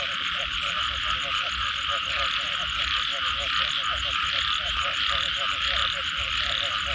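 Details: Frogs after rain keep up a busy chorus of short, gulping croaks in rhythmic bursts, backed by a constant bright droning wash and a quick, regular high ticking.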